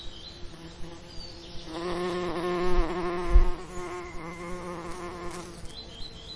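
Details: Bee among summer lavender: a low, harmonic-rich buzzing drone swells in after nearly two seconds, wavers slightly in pitch as it passes close, then fades away before the end over a quiet background.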